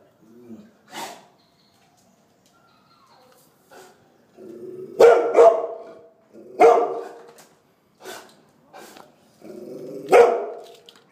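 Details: Golden Retriever puppy barking: short, sharp yaps in bursts of one to three, several seconds apart, with some whimpering rises between them and soft clicks in the pauses.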